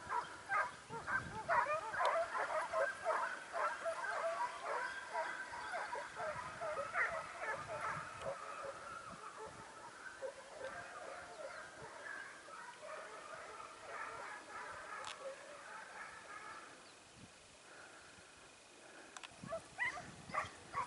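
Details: Segugio Italiano hounds training at Sofiko, Evros, 12 September 2018. Their fast overlapping yelps grow fainter and thin out, dropping to near quiet before a few barks return at the end.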